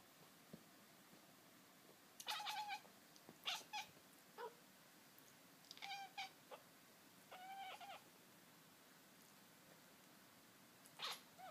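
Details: Mister Moo, a black-and-white cow cat, chattering indoors: short bursts of rapid, clicky stuttered notes with harmonic chirps, several clusters spread over the clip against a quiet room background.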